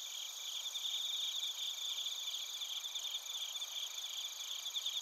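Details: In Narita, Chiba Prefecture, Japan, bell crickets and crickets sing, taped with a TASCAM Portacapture X8. Several shrill, continuous trills at different pitches blend with fast rhythmic chirping, a thick insect chorus with no other sound.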